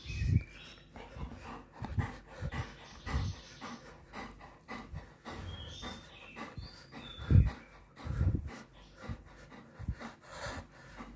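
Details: A male Golden Retriever pants and huffs excitedly in quick bursts, with a few faint high whimpers, greeting its owner returning home from tennis on a March morning.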